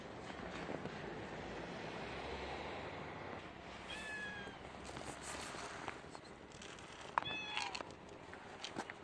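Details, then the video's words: Domestic cat giving two brief, thin meows about three seconds apart, the second slightly higher and sharper, over a steady background hiss. "funny cat"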